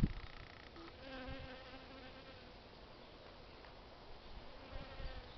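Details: Honey bees at work on plants, a steady low wingbeat hum with faint harmonics rising and fading as bees pass close, over soft background noise.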